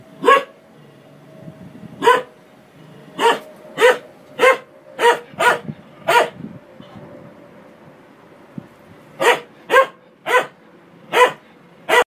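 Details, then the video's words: Dog barking at a washing machine in two bouts, a run of eight sharp barks, a silent stretch of about three seconds with a faint machine whine, then five more barks. "CHIEN QUI ABOIE APRES UNE MACHINE A LAVER"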